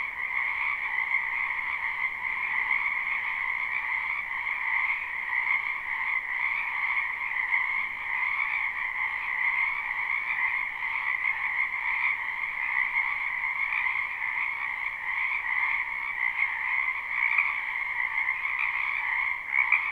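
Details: A spring chorus of many frogs in a wetland, recorded live: continuous overlapping rapid trills forming a steady high band over a lower one, with small swells in loudness and no other sounds.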